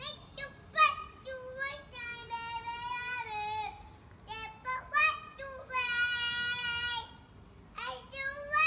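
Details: Domestic cat named June singing loudly indoors: long drawn-out, harmonic-rich yowls, some wavering and some held steady about a second, separated by short breaks and clipped, rising calls.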